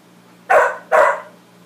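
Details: Two forceful barks in rapid succession from Max, a dog reacting to his reflection, each bark bright and broad, the second slightly longer; faint low hum underneath.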